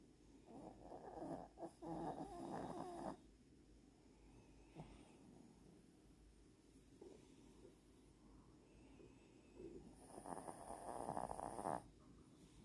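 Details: Pet dog named Latte snoring indoors: rough, breathy snores in bursts with a rasping midrange buzz, loudest near the start and again toward the end, quieter steady breathing between.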